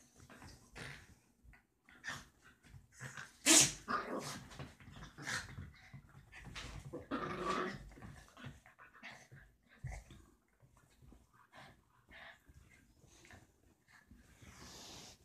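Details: Deer-head chihuahua pestering a Dorkie to play, two small pet dogs indoors; short rough growls and snorts come in scattered bursts, one sharp loud yip near the middle, quieter scuffling and brief pauses between outbursts.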